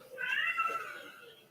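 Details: Domestic cat meowing from out of sight indoors, possibly shut in a bedroom to keep a household puppy away; a single drawn-out meow lasting over a second, steady then gently falling and fading.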